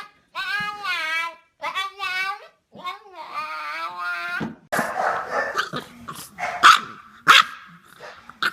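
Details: Pet dog, prompted to speak, gives a series of drawn-out, wavering, whining howl-like notes, then several rough, noisy barks. A person speaks before and after.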